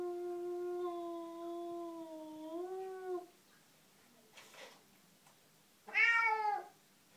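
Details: A cat confronting an unwelcome cat in the garden gives a long, steady, low, moaning yowl lasting about three seconds that bends upward at the end, then, after a quiet rustle, a short, louder, wavering meow.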